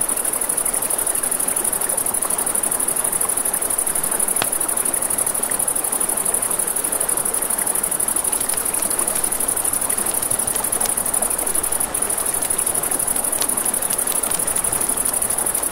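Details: Night-time crickets by a riverside campfire keep up a continuous shrill, fast-pulsed trill, while the fire snaps with a few sharp pops and the river rushes steadily underneath.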